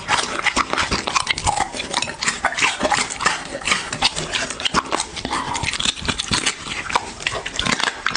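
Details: A dog eating, captured close up for ASMR: rapid crunching bites and moist smacks run continuously, with a slightly uneven rhythm as it works through the food.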